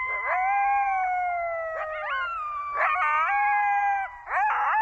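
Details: Coyotes howl in Zion National Park, Utah, giving long, clear, wavering notes that slide down and break into short yipping rises, with overlapping voices, in quiet surroundings.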